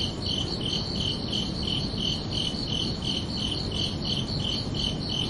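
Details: Crickets chirping under a night sky on a summer evening: short pulsed chirps repeat steadily, roughly three per second, in two high bands, over a constant low broadband hiss.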